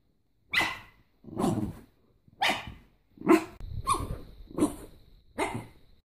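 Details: Norfolk Terrier barking: seven sharp, gruff barks, evenly spaced about every second, each a short burst with a low rough edge, against a quiet background.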